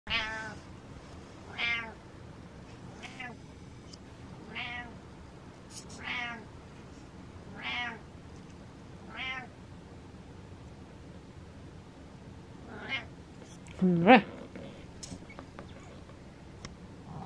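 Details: Male cat Butters belting out a long series of loud, drawn-out meows, about ten calls spaced roughly every one and a half seconds, ending with a sharper, strained cry; a quiet room otherwise.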